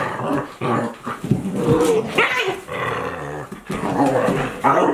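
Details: Two Akita Inu, aged 14 months and 2 months, playing together indoors; continuous rough play growls and snarls with short yelping whines, dense and loud throughout.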